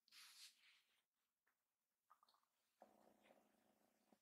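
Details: Rescue kittens in temporary foster care, just awake, spot their mother and get ready to pounce onto her lap. Soft indoor rustling gives way to a steady, level, harmonic-rich kitten call held for about 1.5 seconds.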